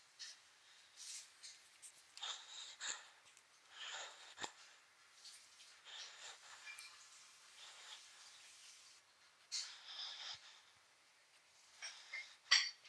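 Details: Dog snoring while asleep, uneven breathy snorts and wheezy rasps at irregular intervals, a few sharper snuffles near the end, in a quiet room.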